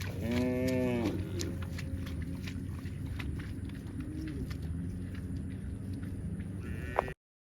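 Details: A cow lets out one low, harmonic-rich moo at the start, about a second long, then a low hum and scattered clicks continue before the sound cuts off.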